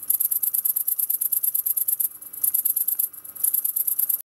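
A grasshopper or cricket sings a very high, hissing series of rapid pulses, broken by brief pauses.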